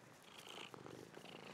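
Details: Domestic cat purring indoors, one of two house cats named Minnie and Kit Kat; a soft, continuous rumbling purr fills the short stretch with steady grainy texture.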